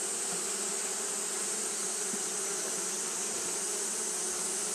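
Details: Fanning Japanese honey bees on a hot day: a constant droning buzz, many wings beating together, steady in pitch and loudness, with a broad airy hiss above and nothing else distinct.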